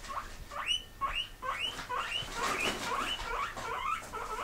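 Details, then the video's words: Several house pigs that live indoors squeak back in reply when teased about wanting grass: a rapid series of short, high, rising squeals, overlapping and repeated, with a man's voice asking who wants grass. "Who Wants Grass Part 2"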